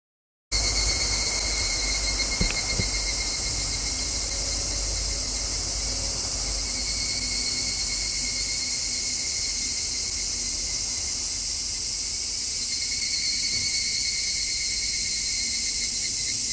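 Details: Cicadas recorded outdoors give a steady, unbroken high-pitched buzzing drone for the whole stretch, with a few faint tonal bands beneath; low rumble from cars passing on a distant road runs underneath throughout.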